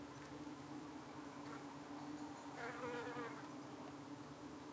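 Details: UK honey bee colony at dusk harassed by flies trying to cling to the bees: an even, deep humming buzz with a short rising and wavering whine of a close flier about halfway through.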